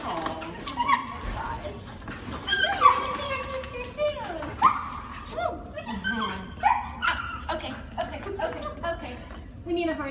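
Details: Princeton the Husky, just picked up after a plane flight, talks in long, drawn-out whines and yodel-like howls that slide down, repeated between bursts of human speech and rustling.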